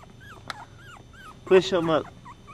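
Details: Chihuahua puppies, the litter of Goofy Rodriguez jr., Coconut and Chichi, indoors: thin high squeaking whimpers repeated several times a second, then a louder harmonic whining yelp, over a steady low room hum.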